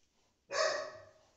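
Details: Golden Retriever named Rocky at home gives one loud, sharp bark that trails off slowly into a fading ring; the room is quiet otherwise.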